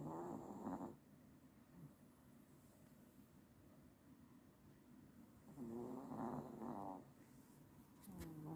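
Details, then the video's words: Mio, a pet dog, snoring in sleep: a rasping harmonic snore in the first second, a long quiet gap, then a louder rattling snore between five and seven seconds, with a short click and snore at the end. "Mio ngorok"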